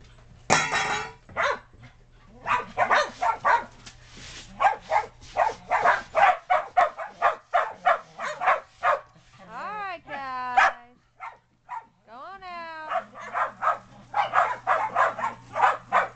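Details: Shetland Sheepdogs and puppies playing in the snow in 2010, dogs dashing from yard to deck; bursts of quick barking broken by gaps, with a couple of rising and falling whining yelps near the middle.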